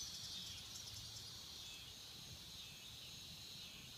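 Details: Swamp cicadas producing a continuous shrill buzzing wash, slightly louder at the start then even, over a soft low background hum.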